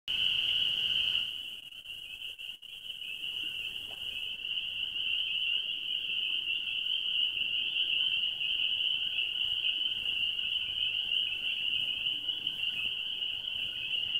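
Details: Spring peepers calling in a dense chorus at Gap Mountain Trailhead, many frogs together making a continuous, loud, high-pitched ringing drone without gaps; a brief muffled knock near the start.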